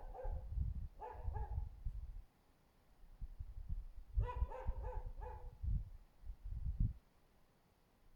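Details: Husky barking under a window on Öreg út, 24 February 2024; short bursts of hoarse, harmonic barks in two clusters over deep low rumbling background noise.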